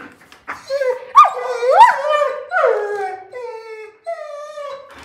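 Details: German Shepherd named Sophie, indoors, reacting to being booped on the nose: a run of drawn-out, whiny howl-like vocalizations that swoop up and down in pitch, some sliding higher, then steadier held tones near the end.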